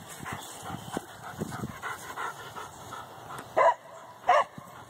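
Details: Several dogs at Canisolida on a morning walk react to cows beyond their fence: a run of lighter yips and barks, then two loud, sharp barks about a second apart near the end.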